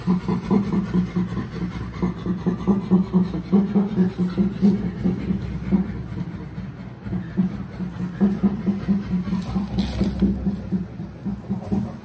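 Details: Playful laughter from Burrito, a chimpanzee recovering from a rattlesnake bite, with companion Jody before rejoining his family: rapid, throaty panted bursts repeated steadily, with brief quieter gaps and a few sharper breathy accents.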